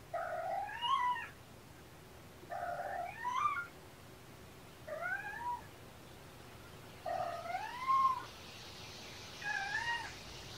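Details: Kitten Champagne, one of two young sister kittens found by a roadside and taken in by Purrfect Pals, talking up close indoors: five rising, bending meows with clear harmonics, each under a second, spaced about two to three seconds apart.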